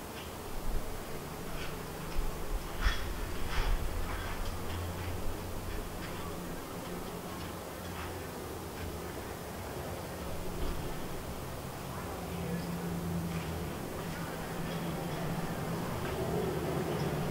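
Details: Honey bees buzzing around the White hive, a colony split from the Yellow hive and doing well; low, wavering hum in layered tones rises and fades, with clicking knocks in the first seconds and a dull background hiss.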